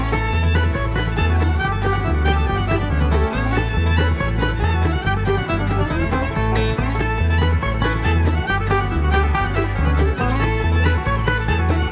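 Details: Fiddle-led country-style music with a steady bass beat plays throughout, with no animal sound heard.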